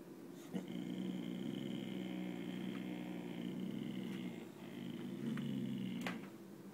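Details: Chloe, a 9-month-old Boxer puppy, growls indoors at nothing out the window: a low, steady, droning growl held for about four seconds, a brief pause, then a shorter second growl, with a faint click near the end.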